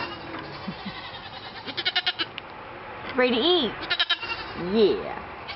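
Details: Domestic goats, said to be excited about their new collars, give two wavering, arched bleats a second apart, each under half a second, while people talk and laugh close by.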